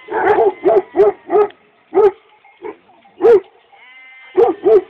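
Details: Several Kangal dogs from Çorum, Turkey, giving loud, hoarse barks in quick runs of three or four, then single spaced barks, with a faint thin whistle-like tone in the background.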